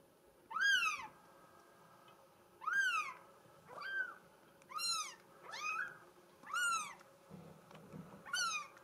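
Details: Female mink solid Bengal kitten mewing insistently, six arched high-pitched mews spaced roughly a second or two apart, each rising and dropping, with a low rustle near the end.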